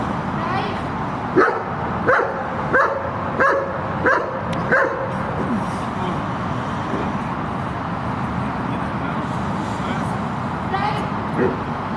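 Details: Shepherd dog during guard training, barking in a quick series of about seven loud barks during the first five seconds, followed by a constant hiss of background noise and scattered faint sounds.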